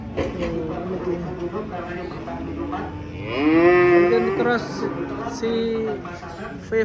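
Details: A fat cow gives a single loud moo near the middle, a drawn-out bellow that rises and swells for about a second, then fades. Fainter tonal sounds come before and after it.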